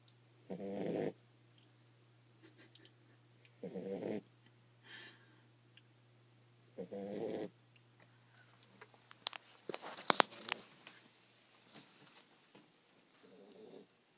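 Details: Sleeping female Pit Bull puppy under an office desk: three loud rasping snores about three seconds apart, then sharp clicks and clattering, followed by softer, fainter snores and a constant low hum.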